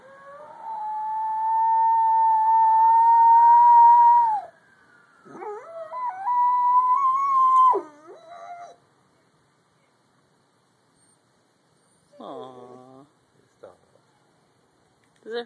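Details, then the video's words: Pet dog named Molly howling indoors in response to a siren: a long steady tonal howl of about four seconds, then a second wavering, sliding howl that drops at the end, followed by short, quieter whimpering notes after a pause. "Molly howling at siren"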